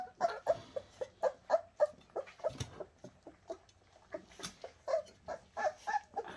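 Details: Bernese Mountain Dog pups from the Shasta litter give short, soft whimpers in quick succession, roughly three or four per second, each a brief nasal squeak, with a few louder cries mixed in.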